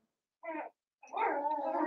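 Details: Cavalier King Charles Spaniel puppies, seven weeks old, indoors in a home puppy pen: one short nasal whimper, a pause, then a longer steady whine held at a moderate pitch.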